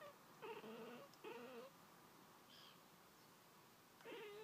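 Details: Pet cat Pringles, indoors, chattering at birds outside for a long stretch; three short wavering, tonal bursts with a stuttering, broken quality, the first two close together, the last after a pause, plus a faint high chirp midway through a quiet room.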